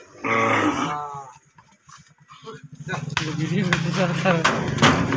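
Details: Holstein Friesian cattle being sold: one deep, harmonic moo of under a second opens the recording, followed by a pause, then men talking over each other amid farmyard bustle.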